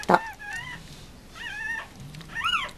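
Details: Just-born Mame Shiba Inu pups, born to the dog Rin at Housansou kennel in Japan. Three short, thin squeaks with wavering pitch follow a sharp bump, with quiet music underneath.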